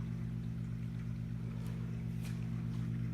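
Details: A red pistol shrimp hiding in a 120-gallon saltwater home aquarium gives a few sudden, crackling snaps, irregularly spaced brief clicks, over a loud constant low hum from aquarium equipment.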